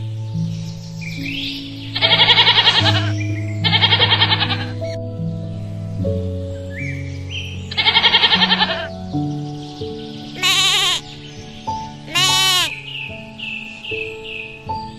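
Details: Goat giving three separate tremulous bleats about two seconds apart in the first half, over continuous background music, with short high chirps near the end.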